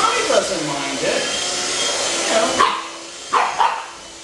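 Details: Two pug puppies barking while their mother is groomed with a handheld vacuum cleaner indoors; a steady vacuum whine runs throughout, with a few sharp barks near the end, two of them close together.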